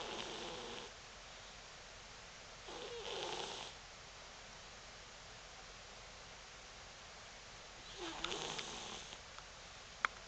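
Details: Cross-eyed tortoiseshell pet cat snoring, soft breathy hissing snores about a second long, three of them spaced several seconds apart, quiet room between breaths and a couple of sharp clicks at the end.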